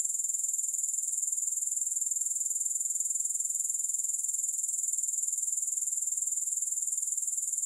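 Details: Grasshoppers chirring without music for sleep and study: an unbroken, piercingly high, rhythmic pulsing about four beats per second, steady in loudness throughout, with nothing else audible.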